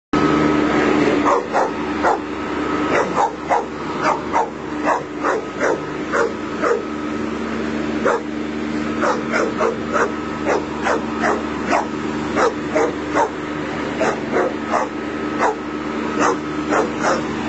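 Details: Pet Bull Terrier trying to intimidate a running lawnmower: rapid, steady barking, roughly two barks a second, continuing throughout over the constant drone of the mower engine.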